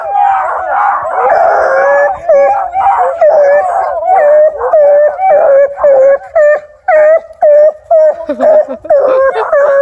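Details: Ten-month-old UKC-registered female Bluetick Coonhound, River Styx Indigo, a house-raised dog: a dense, wavering howl for two seconds, then rapid short bawling bays, about two per second, each with a slight upward bend.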